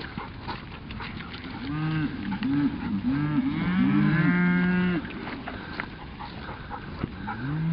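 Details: Cattle being moved to new ground by herding dogs, a "Kampfhund" and a Cattle Dog, driven slowly rather than rushed; several deep, drawn-out moos overlap in the middle, with shouted commands and rustling around them.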